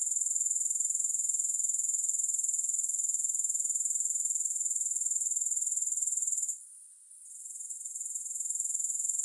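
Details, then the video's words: Grasshoppers in a long sleep and relaxation recording: a steady, very high, shrill pulsing trill, about four pulses a second, that drops away briefly near the end before resuming more softly; no music. "Grass Hopper Sounds"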